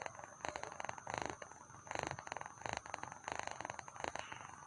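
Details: Cat purring while sleepy, a soft vibrating rumble in pulsing bursts roughly every second, quiet and close.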